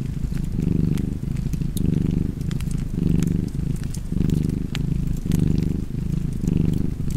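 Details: Domestic cat purring steadily beside a crackling fireplace, a low rumbling purr in alternating inhale and exhale phrases roughly once a second, with sharp wood crackles and pops scattered over it.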